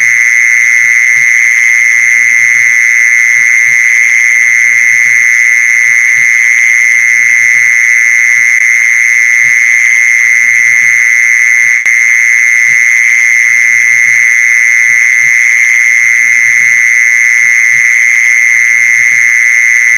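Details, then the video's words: Steady mole cricket trill meant to attract other mole crickets: a high, level, uninterrupted buzz held at the same loudness for the whole stretch, with a thin overtone above and scattered quiet low taps. "เสียงแมงจีซอน #ล่อแมงจีซอน"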